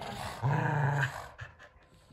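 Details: Two dogs, Kumo the Keeshond and Sully the Boston Terrier, playing tug; one low, steady growl of about a second with a rumbling tone, then short soft snuffles and quiet scuffling.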